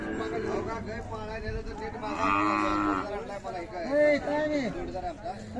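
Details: Khillar cows at the Sangola cattle market on 12 May 2024 give several lowing moos, one long harmonic call midway and shorter rising-falling ones after it, amid busy market chatter and voices.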